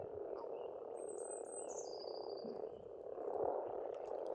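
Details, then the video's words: Frogs croaking together in spring at a farm pond in Estonia, a steady, thick low chorus swelling near the end, with one high, thin, falling bird song drifting across the top. "пение птиц и лягушек"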